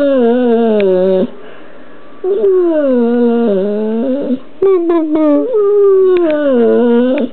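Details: American Bulldog Chex 'talks' indoors with a run of drawn-out, voice-like whines. About five moaning phrases dip and rise again, with short pauses and clicks between them.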